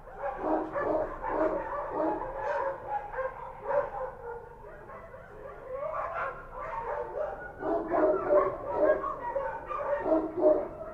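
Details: Kochi street dogs barking at night in Kabul: dense, overlapping mid-pitched barks in quick irregular bursts throughout, with some louder yipping notes near the end and no pause between volleys.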